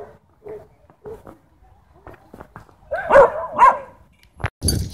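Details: A group of dogs chasing a Beagle, with a Shiba Inu involved: short, clipped barks spaced under a second apart, then two louder whining yelps that rise and fall in pitch, ending in sharp knocks.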